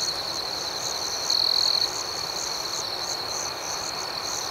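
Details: Nighttime crickets in a continuous high-pitched chorus, a shrill steady ringing with rapid pulsed chirps above, briefly growing louder for about half a second near the middle.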